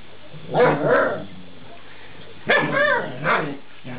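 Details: Eight-week-old Alaskan Malamute puppies vocalising while being talked with: two short bursts of harmonic, wavering moans about two seconds apart, each lasting roughly a second, over a quiet background.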